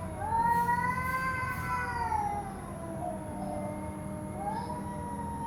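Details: Cats fighting on a road give a long, wavering, nasal yowl that slowly bends downward, fades to a low moan, then rises again near the end, over a steady low background hum.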